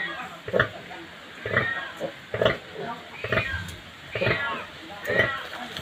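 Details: A native pig sow that has just given birth to many piglets is heard in a rhythmic series of short, rough grunts, roughly one per second, with some higher squeaky notes mixed in.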